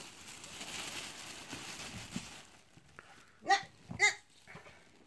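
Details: Hungry guinea pig calling: two short, loud, high squealing calls about half a second apart, following a few seconds of soft rustling and shuffling noise.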